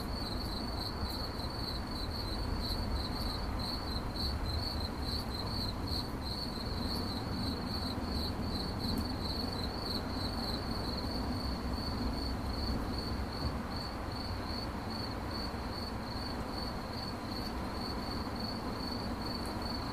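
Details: A cricket keeps up a rapid, regular pulsing chirp at a high shrill pitch, unbroken throughout, against dull low background noise.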